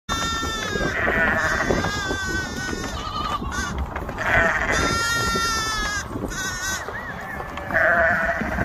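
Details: Ewe calling as she finds her lamb after being moved, with her nursing lamb nearby; several wavering, harmonic bleats lasting one to two seconds each, separated by short gaps, over steady background noise.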